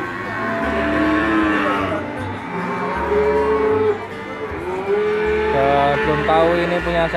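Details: Feeder bull calf judged for its long body and good posture: two or three rising-then-falling bellowing moos, each about a second long, over steady background music with a low beat.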